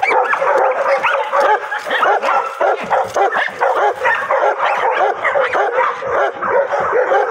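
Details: Pocket American Bully named Fury, a driven pet dog, worked on a bite sleeve by handlers: dense, rapid yips, barks and whining run throughout, overlapped by men shouting encouragement and laughing close by.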